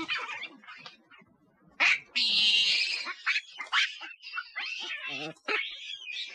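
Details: Monkeys screaming loudly in a recording said to bring nearby monkeys close, mixing squeaky chatters with a sustained harsh shriek and later quick broken yelps and rasping cries.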